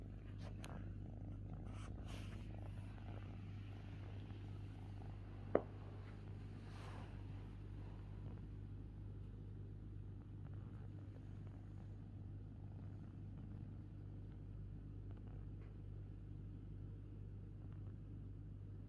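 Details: Fifi, a pet kitten, purring: a low, steady rumbling drone that holds without a break for the whole stretch, with a single sharp click near the middle and faint rustles early on.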